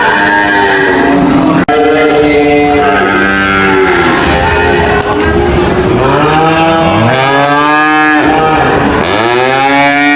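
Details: A herd of cattle moos in a loud chorus. Long harmonic bellows overlap and swoop upward and downward, and clear arched moos repeat near the end. A sharp click sounds early on.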